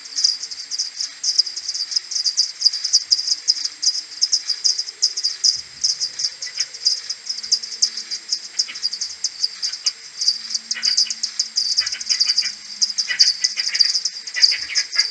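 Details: Morning return of a common pipistrelle maternity colony to its roost on 21 May, captured on an AudioMoth and slowed tenfold: crowded, fast bursts of high chirps pouring out without pause, with a few softer lower squeals.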